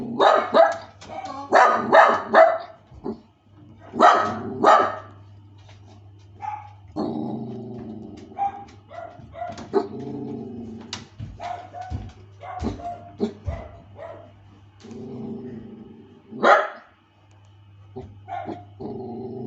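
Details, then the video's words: Miniature Dachshund kept as a pet, refusing a woman's attempts to make friends; bursts of sharp, harsh barks in quick clusters over the first five seconds, then lower, drawn-out rumbling growls and scattered short barks. "仲良くなりたいママさんと拒否する愛犬 【ミニチュアダックス】吠える 唸る"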